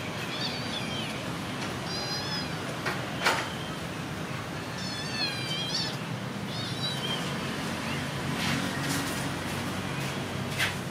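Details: Stone, a friendly, handsome cat living at a pagoda, gives several short, wavering, tonal meows spread across the stretch, each a rising-then-falling cry, over a constant low background rumble with a few clicks.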